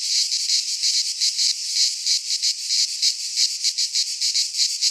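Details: Cicadas in a Greek pine forest at midsummer: a harsh, high buzzing chorus broken into uneven throbs, slower and choppier, about one to two surges per second.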